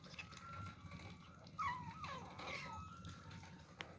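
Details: Young kittens jostling over their first meal let out a thin, falling mew with a wavering pitch, followed by softer trailing cries and a sharp click near the end over low room noise.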